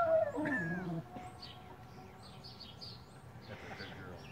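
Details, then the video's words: A female Weimaraner, asked by her owners to talk, answers with a brief, howl-like, falling moan, the drawn-out "talking" sound of a vocal dog. "Weimaraner Bella talking"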